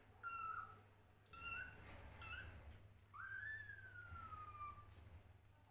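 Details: Hungry kittens fighting over a bottle full of milk: high thin meows with harmonics, three short mews then one long drawn-out meow rising and slowly falling, over a low steady hum.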